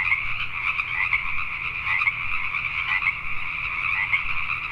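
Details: Night chorus of Pacific tree frogs in Richmond, British Columbia, Canada, with many overlapping raspy croaks merging into an unbroken pulsing wall of sound over a soft low background hum.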